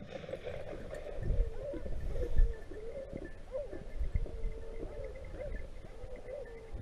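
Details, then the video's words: Pack of Griffon Nivernais hounds chasing a wild boar during a hunt in Haute-Garonne, France; steady overlapping baying and barking from many dogs, repeated calls at mid pitch with rustling and movement noise. "Sanglier dans les pieds, scène à vive allure avec les griffons nivernais !!"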